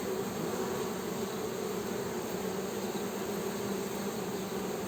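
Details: Honey bee humming as a continuous, even low drone with no breaks, dense and unchanging across the short stretch, with no other clear sounds.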